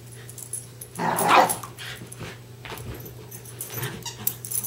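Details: West Highland White Terriers Darby and Riley in a game of tug of war; one loud, strained growling burst rises early on, then softer rustling and breathing over a low indoor hum.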